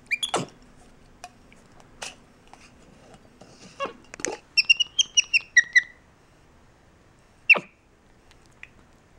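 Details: MonkeyBoo, a pet capuchin monkey, talks with his owner: scattered sharp clicks, then a rapid run of high twittering notes stepping downward, a short pause, and a single high squeak.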